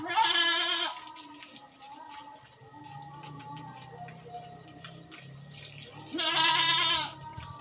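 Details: Two strong, trembling goat bleats open and close the passage on a goat farm during a routine fortnightly task, separated by several seconds of soft humming background tones and low noise.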